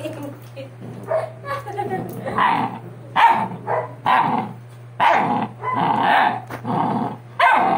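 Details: Sixty-day-old Doberman pups after ear cropping, uttering a series of loud, uneven yelping cries in bursts of about half a second, some overlapping, with music playing in the background.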